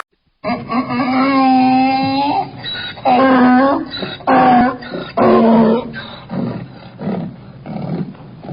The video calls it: funny donkey sounds